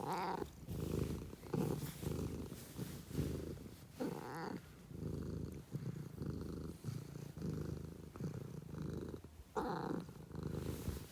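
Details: A cat purrs loudly and close, the low buzzing rumble pulsing with its in-and-out breaths roughly every second, with a few brighter breathy bursts in between.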